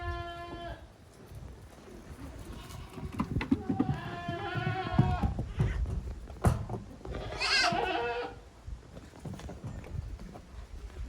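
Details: Goat kids at play in a farm exercise yard, 30 April 2023. A short bleat opens, then a quavering bleat follows midway and a higher, thinner bleat comes later, all over steady hooves, bumps and rustling.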